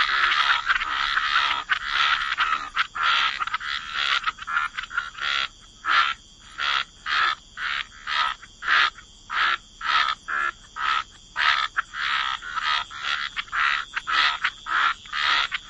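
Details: Frogs croaking by the waterside in a wetland chorus: harsh, buzzy croaks repeated in bursts, dense and overlapping at first, then spacing out into separate regular pulses.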